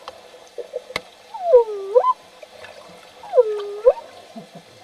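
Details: Male dolphins including Gulliver and Fye during an interaction bout at a research center; two loud U-shaped whistles, each dipping then rising with bright harmonics, about two seconds apart, amid faint clicks and water sounds.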